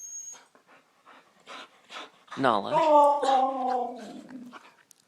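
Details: Indoor Siberian Husky Nixie asking for treats: after a person's short questions, a rising yelp swoops into a long wavering, yodelling whine that slowly descends over about two seconds.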